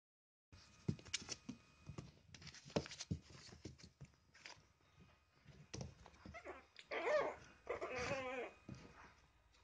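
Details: Three Chihuahua puppies playing together in a box; scuffling and soft thumps fill the first half, then high wavering whimpers and squeaky yips rise toward the end, with faint rustling throughout.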